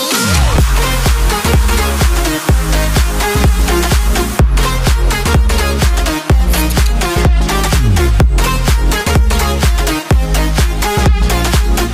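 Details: Loud electronic dance music with a steady pounding beat and bright synth chords throughout, no animal heard.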